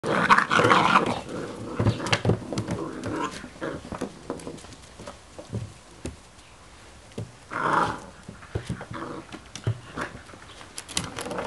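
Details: Six-week-old Irish Setter puppies from one litter, giving short yelping and growling bursts near the start and again around eight seconds, with scattered clicks and quieter shuffling in between.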